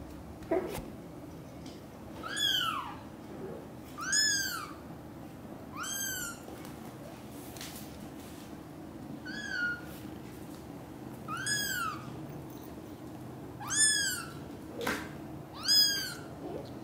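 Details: Cream British Shorthair kitten cared for by two mother cats, all British Shorthairs indoors. High, arching meows come roughly every one to two seconds, about eight in all, over a soft steady room hum.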